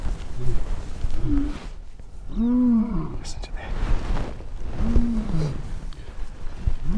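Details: A lion in an enclosure gives deep, rumbling roars that swell and fade in a slow, heaving series.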